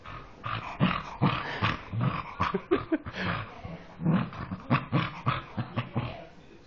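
A dog makes rough, snorting grunts in quick bursts that sound much like a pig.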